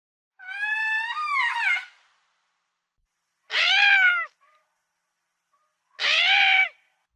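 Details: Lemur calling in three separate drawn-out, wavering wails, each a second or more long and spaced a couple of seconds apart, richly harmonic and somewhat cat-like, set against otherwise silent background.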